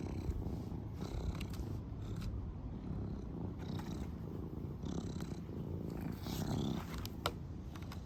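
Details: A serval out on a walk, playing, purrs in a steady, low, rumbling throb with a few faint clicks and rustles.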